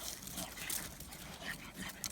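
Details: A male Boston Terrier puppy makes a run of odd snuffling grunts and whines, including a brief high whine.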